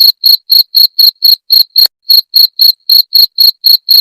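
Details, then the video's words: Cricket (jangkrik) chirps used to chase off rats: bright, ringing high-pitched pulses in a quick even beat of roughly four per second, pausing once just before the two-second mark before the pattern picks up again. "Suara Jangkrik pengusir tikus"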